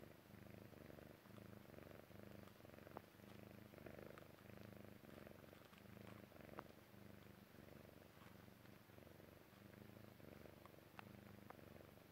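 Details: Jessie, a Persian Chinchilla kitten, purrs as she drifts off to sleep; continuous low vibrating purr with regular breath cycles, soft faint clicks and rustles above it.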